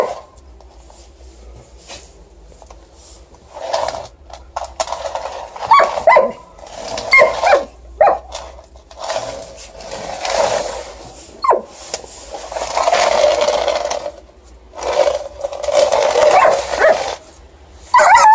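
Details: Female Alaskan Malamute fiercely objecting to snow shovelling on a December night, recorded on mobile: repeated gruff grumbles and brief rising whines mixed with loud scraping of the shovel through snow.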